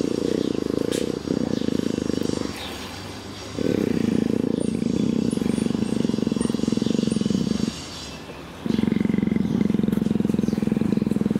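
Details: Long bouts of deep rapid purring from affectionate female leopard Greta, in heat, as her back is scratched, the pulsing rumble broken by three short breath pauses.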